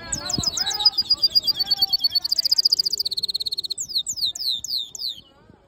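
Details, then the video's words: Black-hooded siskin mule delivering a long twittering song: quick high chirps and trills, then a dense buzzy rattle, ending in descending whistled slurs before fading out. "Black HOODED yellow siskin mule | Cabecita negra CD | Carduelis singing"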